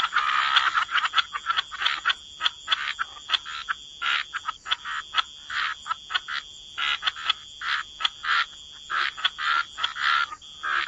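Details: Frogs croaking in a wetland chorus by the water, short rapid bursts of rattling calls mostly between one and four thousand cycles, repeated irregularly throughout with a steady faint high-pitched tone in the background.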